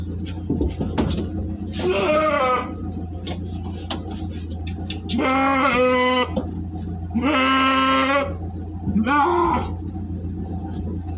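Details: Jumbo goats being delivered in Plosokerep, Dengkol, Singosari, Malang, give several loud, quavering harmonic bleats, each about a second long, at uneven intervals over a steady low engine-like hum.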